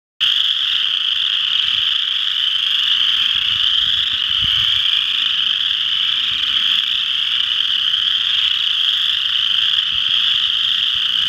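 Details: Western chorus frogs calling together at Ojibway Park, Windsor, Ontario: a dense, unbroken chorus of high trilling calls, steady and loud throughout, with faint low rumble beneath.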